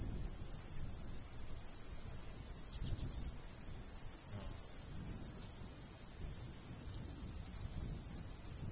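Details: In summer countryside near a golden wheat field, crickets keep up a brisk train of high chirps amid a steady insect hiss, with gusts of light breeze rumbling low.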